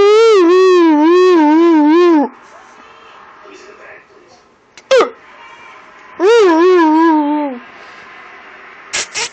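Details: Roxy, a hybrid husky-wolf, howls back and forth while arguing with her owner: long wavering tonal howls, the first about two seconds, a short yelp near five seconds, then a rising-falling howl around six to seven seconds, in a small room.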